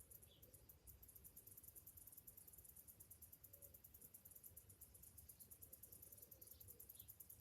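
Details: Cicadas on a summer morning produce a continuous, rapidly pulsing high-pitched buzz over a steady low hum, with a couple of brief faint chirps.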